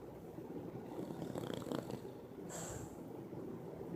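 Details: Sleeping Bulldog named Peanut giving a short rough snore, a brief grating breath near the middle, then a soft hiss over a steady low background hum.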